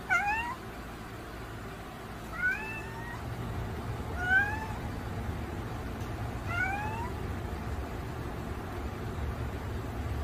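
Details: Domestic cat giving four short, rising meows roughly every two seconds, each a thin upward-sliding whine, over a steady low background rumble.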